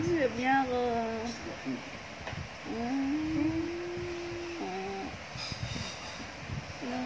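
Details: A Siamese cat gives drawn-out, wavering meows while cuddling, some long and level, others bending up or down.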